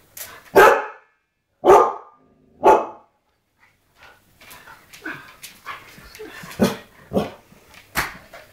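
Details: Pet Siberian Huskies barking indoors at a television image of Ewan McGregor: three loud, sharp barks about a second apart, then quieter, irregular yips and barks, with faint household sounds between.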